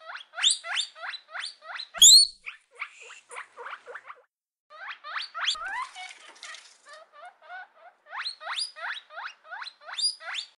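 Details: Guinea pig giving rapid runs of short, squeaky notes that sweep upward, several each second. There is one sharp louder squeal near the start and a brief pause midway before the squeaking resumes.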